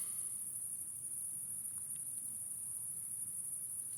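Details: Nighttime outdoor chorus of crickets: an unbroken, high, thin trill holding steady throughout, very quiet, over a soft low rumble of background noise.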